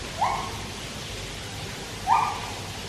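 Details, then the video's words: Two short rising hoots about two seconds apart from white-handed gibbons singing at Taipei Zoo, captive, beside a swimming Malayan tapir, with a steady rushing water-like hiss behind. "Tapir Swimming With Gibbons Singing 後場猿聲啼不住"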